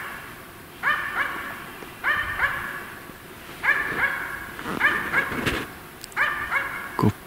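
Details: A Finnish Spitz hunting in winter (January 2025) gives high, ringing barks in quick pairs, marking a capercaillie hen in a treetop about 82 m away in dusky weather.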